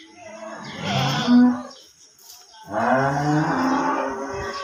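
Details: Cattle on a farm lowing: two long, loud, hoarse moos, the first ending in a brief higher tone, a pause near two seconds, then a second steady moo lasting about two seconds, heard indoors.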